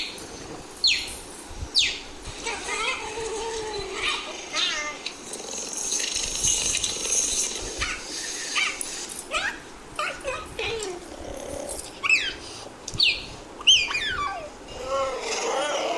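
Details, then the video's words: Cheetah giving a series of high, bird-like chirps and short downward-sweeping yelps, some overlapping, spaced irregularly every second or two over a steady background hiss. "Cheetah Sound Effect"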